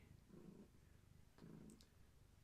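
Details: Gaia, a long-haired tabby pregnant with many kittens, purrs while being held; two distinct low rumbling purr breaths about one second apart, with a faint click between them in a quiet room.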